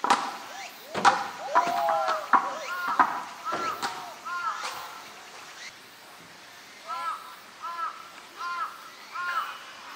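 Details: California sea lion in the Higashiyama Zoo and Botanical Garden group, 12 September 2023: short arched barks repeated roughly every second, first mixed with people talking nearby, then four clear barks on their own over crowd murmur.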